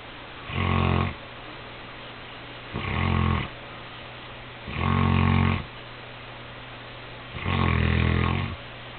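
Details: Cody the Saint Bernard dozing the night before Christmas: four loud, low, vibrating snores, some longer than others, arriving every two to three seconds, with a quiet indoor hum between breaths.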